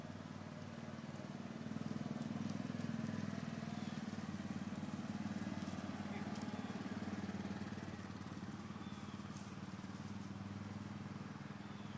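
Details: A steady low motor drone, like a passing vehicle or mower, fills the recording with faint background murmur and no animal sounds.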